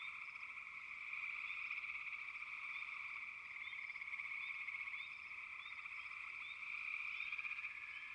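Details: Frogs croak in a dense, humming chorus that swells and eases in loudness, while a few short, high chirps sound over it.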